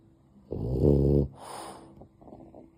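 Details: Sleeping pet dog having a cozy sleepy time, snuggled up and drifting off: one loud, low, rough snoring breath lasting under a second, then a softer airy exhale and faint quiet breathing.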